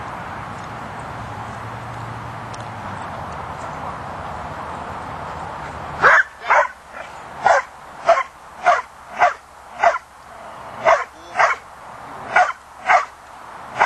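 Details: Two-year-old Belgian Malinois in French Ring training, preparing for competition, barking in a steady series of sharp, loud barks roughly every half second to second, after six seconds of quiet background hum.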